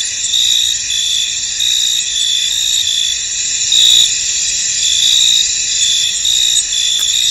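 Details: Foggy field at night-like calm with many crickets chirping together: continuous high trilling layers and short louder chirps about once a second, a brief soft click near the middle.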